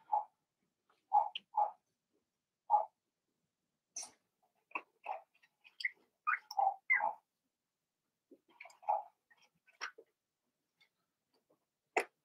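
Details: Blenheim Cavalier King Charles Spaniel puppies from Remy's first litter of six, born March 7–8, in an indoor puppy pen during potty training; short mid-pitched whimpering yelps come in loose bursts, with a few faint high clicks between them.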